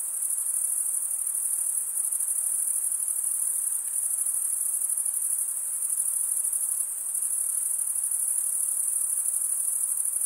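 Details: Continuous shrill chorus of chirping crickets, the males producing it by scraping a comb-like wing vein, forming a steady ringing trill at even loudness with nothing else audible.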